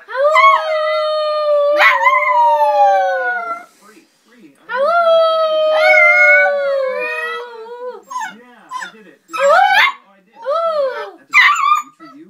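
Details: Puppy singing: long tonal howls that start high, hold steady and slowly fall, two drawn-out notes of about three seconds each, followed by shorter rising and falling yips and yowls.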